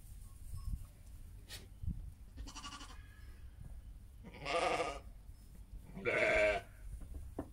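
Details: Heidschnucke sheep kept with their lambs, bleating: two loud, wavering, harmonic bleats of about half a second each in the second half, a fainter bleat earlier, with low rumbling background noise throughout.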